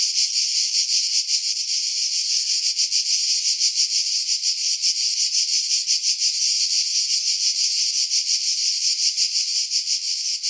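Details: High, loud cicada chorus in pine woods over Pefkos Bay, Skiros, Greece, in July 2018; a harsh, steady sizzling buzz with slightly irregular throbbing, recorded after strong wind was filtered out.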